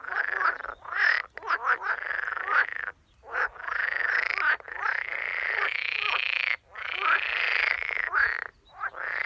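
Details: Edible frog croaking in water at a workplace: loud, harsh rattling croaks in long bursts of about a second each, some running together, separated by brief silent gaps, repeated steadily throughout with no other clear sounds.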